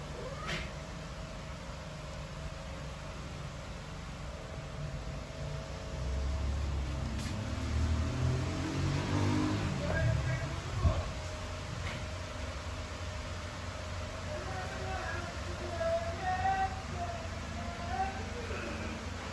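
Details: A homeless street cat comes by every day to be fed. Low rumbling traffic and background noise fill the first half, then a few drawn-out, wavering meows rise and fall in the last seconds.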